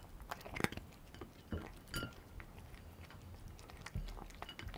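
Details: Domestic cat eating dry kibble, Dreamies cheese-flavour treats, recorded close up: sharp, irregular crunches and bites scattered over a quiet background, with a few louder snaps near the start and middle.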